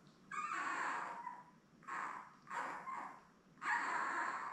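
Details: Mother Belle's newborn Labrador Retriever litter of seven, born May 24, 2021, filmed indoors by live puppy cam on 3 June: drawn-out wavering cries, four strong bursts roughly a second apart, with rising and falling pitch.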